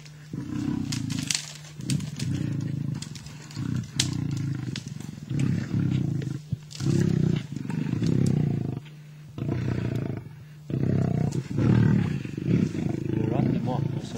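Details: Two male lions in the wild in Africa fight over a kill in a tug-of-war. Deep, rough growls come in bursts about every second or two, with short pauses between them, throughout the recording.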